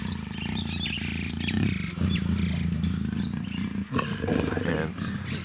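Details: Captive female black African leopard in her first estrus at a big cat breeding center, growling low and steadily for several seconds, the rumbling growl rising and falling, with a man's voice and background music faintly present.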